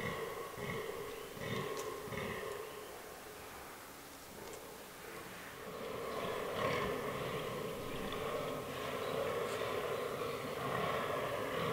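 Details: Autumn forest rut of fallow deer: bucks in a herd with albino and black animals give repeated rough, throaty grunts, dense and rhythmic at first, fading midway, then resuming in rasping runs over a faint hiss.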